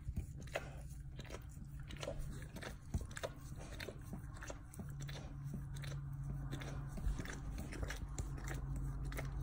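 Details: Dog chewing and licking its own backside, sounding as fast, irregular wet clicks and bites, roughly three per second, with a continuous low droning hum behind.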